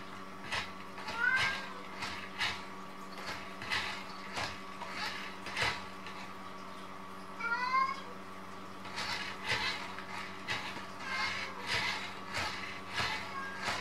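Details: Indoor Munchkin cat among three siblings battling a mop; rhythmic swishing strokes about every second dominate, broken by one clear rising-then-falling meow midway, with a low background hum throughout.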